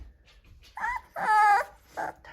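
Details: American Bulldog puppies, four weeks old, from one litter, recorded January 14, 2023: three short whimpering cries, the middle one longest and steady, separated by brief gaps.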